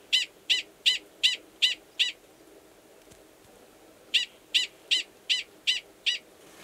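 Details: Gunnison's prairie dog male in Valles Caldera National Preserve, New Mexico, March, calling before going underground to mate with an estrous female in a nearby burrow; sharp high chirps about three per second, a six-note run, a pause, then six more.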